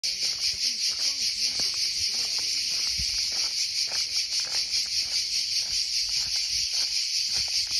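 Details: A chorus of cicadas at Punta Giglio, near Alghero in Sardinia, makes a loud, steady, high-pitched buzz that pulses slightly about twice a second.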